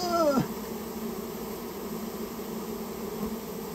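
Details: Japanese honey bees nesting in someone's storehouse, heard while the colony is taken out. A brief falling squeal opens, then a level, low buzzing drone carries on to the end.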